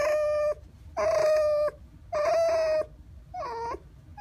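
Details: A pouting pet red fox repeats a steady, level, nasal whine four times, each about half a second to one second long, at regular intervals. The last whine dips and wavers.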